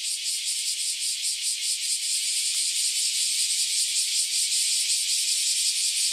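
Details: Cicadas, newly emerged after about ten years underground, in a loud massed chorus before flying off: a dense, high, hissing buzz with a fast rapid pulsing throb, steady and unbroken throughout.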